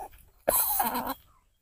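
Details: A wild long-tailed macaque (Macaca fascicularis) in forest full of wild macaques, with rain about to fall, gives a single harsh, raspy call lasting under a second that frightens a young pet monkey.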